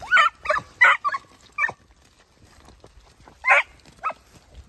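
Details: Segugio Italiano hounds, puppies of 8 and 17 months with their father Geko: a quick run of four loud yelping barks, a pause, then two more sharp barks near the end.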